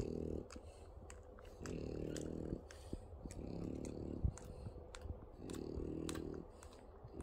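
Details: French Bulldog puppies nursing for the first time indoors, making soft low snuffling grunts in bursts of about a second, separated by quieter pauses, with faint clicks and rustling.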